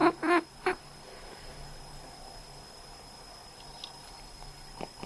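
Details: Cat resting indoors, answering a person's cough with short quack-like calls: two or three quick hoarse bursts in the first second, then quiet room with faint steady hum.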